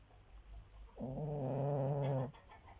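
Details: Sleeping dog snoring: one drawn-out, buzzy, low rumbling breath of about a second, steady in pitch with a slight waver, set in a quiet room with faint background hum.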